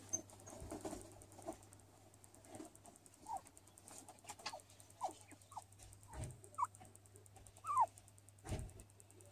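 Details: A hairless skinny guinea pig, while sunbathing, gives soft, short squeaks and chirps, scattered irregularly over a low hum and faint clicks.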